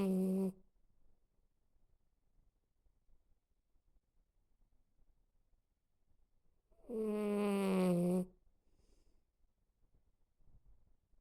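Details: Leeloo, a Border Terrier, asleep and snoring: two drawn-out, droning, slightly falling snores with a moaning tone, one at the start and one about seven seconds later, with near silence in between.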